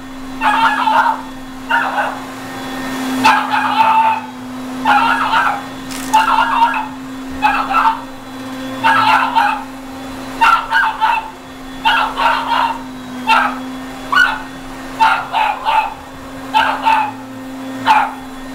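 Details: Dog barking at a running vacuum cleaner indoors: short, sharp, harmonic barks in quick bursts, roughly one to two per second, continuing throughout, over the steady low droning hum of the vacuum motor.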